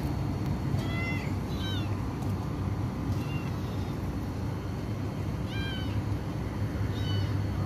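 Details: Sick kitten with diarrhea, one of Black Mama's three babies, losing weight and given tuna broth and glucose water; several short, high meows, some rising then falling, come in small bursts over a steady deep background drone.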